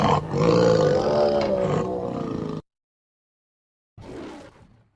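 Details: Tiger in Nandankanan Zoo, Bhubaneswar, Odisha, India, giving a long, loud, throaty roar of over two seconds, rich and moaning, then a short pause and a brief fainter rumble.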